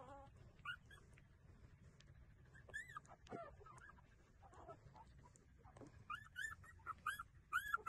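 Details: Nursing street puppies: scattered faint squeaks early on, then a run of thin, repeated rising-falling whines toward the end, over a low continuous rumble.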